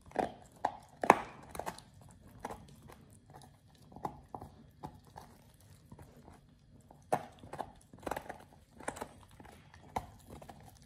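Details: Oliang the Pit Bull chewing a raw ostrich paw, a first for him, indoors; spaced, knocking crunches and snaps, clustered near the start and again after a quieter middle stretch.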